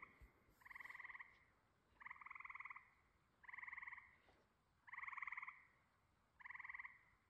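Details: Frogs calling at night on a homestead during 4th of July fireworks: five pulsed, trilling croaks, each lasting about half a second to a second and repeating roughly every one and a half seconds, with a quiet background.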